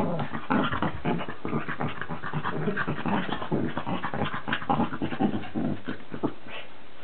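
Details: A Cavalier King Charles Spaniel and a Cairn Terrier at war: a dense run of rough, breathy growls and panting bursts goes on without pause, with a brief softer tail at the end.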